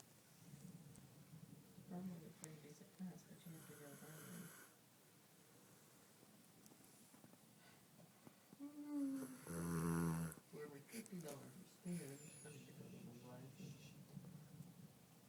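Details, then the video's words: Pet dog Shooter, asleep indoors after Thanksgiving, snores in low, rumbling, throaty breaths roughly once a second. Louder snorts and human voices talking break in near the middle and toward the end. "Shooter snoring"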